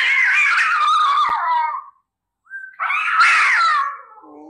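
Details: Domestic cat giving two loud, drawn-out meows, harmonic and wavering, sliding downward in pitch; the first lasts nearly two seconds, and the second follows a short silence and fades into a softer trailing tone.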